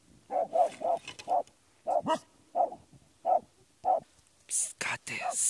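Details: Jagdterrier facing badgers, a string of single clear barks roughly every half second, followed by loud hissing and rustling noises at the close.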